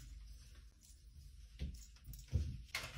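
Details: Quiet indoor room with a low hum, soft knocks and door-like thumps, and a brief hiss near the end; no animal voice.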